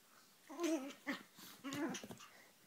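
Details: Two Chihuahuas squabble with high, wavering snarls and whiny growls in two short bursts.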